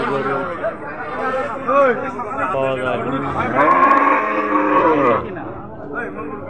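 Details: Cattle at a Jaldhaka cattle market for Qurbani: several drawn-out, harmonic moos with bending pitch, one long low call near the middle, over crowd chatter and men talking, with music in the background.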